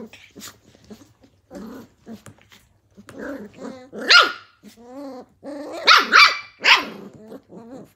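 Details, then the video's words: Playing Australian Cattle Dog puppies from Tin Roof ACDs, 2020: soft growls build into sharp, loud high-pitched barks and yaps, a cluster of three near the end, with a wavering whine in between. "Australian cattle dog puppies at TIN ROOF ACDs- BLUE HEELER PUPPIES PLAYING"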